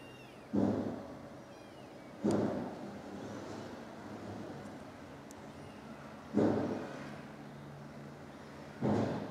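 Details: Stray mother cat, filmed from far away with a 42x zoom, after finding her kittens dead and rescuing the last one. Four short, low meows, spaced two to four seconds apart, rise over a steady hum of background noise.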